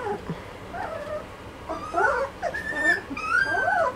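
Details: Two-and-a-half-week-old Malinois puppies whining together, wavering high squeals that bend up and down, several voices overlapping, louder in the second half.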